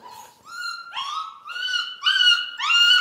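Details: Central Asian Shepherd puppies indoors in Michigan, whining in a run of high, tonal whimpers that rise and slide, each about half a second long, growing louder toward the end.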